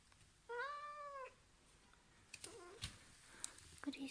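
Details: Male Ragdoll cat, born 2015, at home after being left alone and offered crunchy treats: one drawn-out meow, level and harmonic-rich, lasting under a second. It is followed by faint rustling, clicks and a woman's voice.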